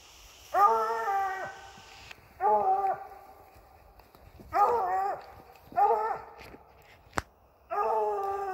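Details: English Bluetick Coonhound treeing a raccoon off a deer feeder, giving loud drawn-out bawling howls with harmonic, slightly wavering tones, five bouts spaced roughly every one to two seconds, a sharp click between the last two.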